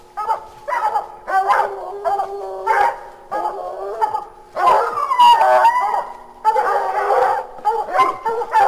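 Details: Several hounds bay and bark together at raccoons treed 30 feet from a house at 9:00 pm, recorded from the deck: loud drawn-out bawls mixed with sharper chopped barks, ramping up after about 13 seconds.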